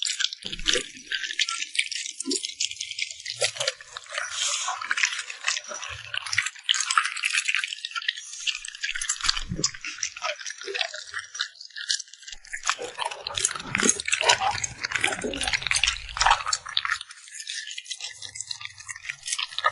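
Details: A puppy eating smacks its lips in close, wet bursts of clicking and squelching, dense and irregular, with short quiet gaps between mouthfuls.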